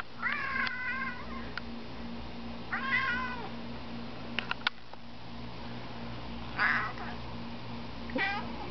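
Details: Domestic cat on a home balcony, barking at a pigeon: four strained, quavering cries with a falling pitch, spaced a few seconds apart, with sharp ticks between them and a constant low electrical hum.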